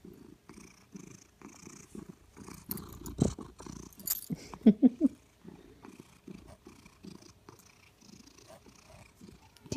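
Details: Steady rhythmic purring of a contented female Maine Coon/Manx cat, low pulses repeating about every half second, with a short burst of louder human voice midway through.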